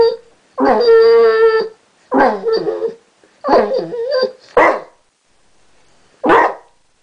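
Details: Chester, a Basset Hound, 'talking' in a trick he recently learnt: a long harmonic howl-like moan, then three shorter warbling, wavering vocal bursts and a final sharp bark-like yelp, with quiet gaps between.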